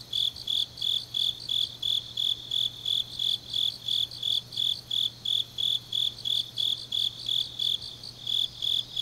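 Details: Steady high chirping of grass insects in Changnyeong, South Korea, late on an autumn night: short ringing pulses about three per second, regular throughout, over a gentle low hum.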